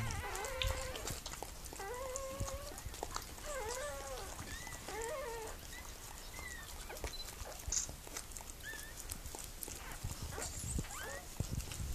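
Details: Mirella, a Miniature Pinscher delivering puppies, gives short wavering whines and yelps in the first half, then quieter broken whimpers amid steady hiss and light rustling.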